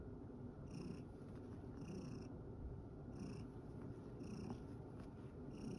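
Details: Low rhythmic purring from Satchan, a rescued male cat at Kazeno Kobo, tired out after playing in a field. Faint higher pulses repeat about every second, with a few small clicks.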